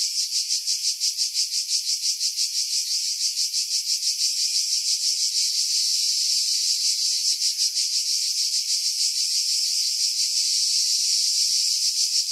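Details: Cicadas in pines about 50 m above the sea, Skiros, Greece, July 2018: a relentless high buzzing song with fast regular pulsing, evening out into a flatter drone in the middle, wind buffeting edited away.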